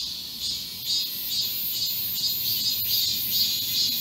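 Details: Cicadas in full chorus in a garden, summer heatwave, 31 July 2022: shrill, buzzing wall of sound with rhythmic pulsing swells and slight rises in loudness.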